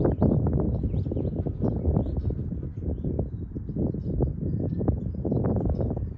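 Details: Honey bees warming in sunshine at an Ohio hive in early spring 2023, foragers bringing in nectar and pollen from maple trees. A loud, constant low buzz full of quick irregular taps, with faint high twitters.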